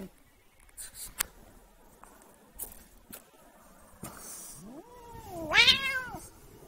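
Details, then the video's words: Pet cat being pestered lets out a rising then falling complaining meow near the end, after several seconds of clicks, taps and faint handling sounds. "Annoying the cat"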